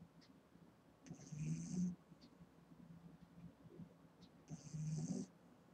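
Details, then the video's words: Snoring eight-week-old Boston Terrier puppy, female, fast asleep: two raspy, buzzing snores roughly three and a half seconds apart, each with a whistly overtone, low rumbling breath in between. "Boston Terrier Puppy Snoring"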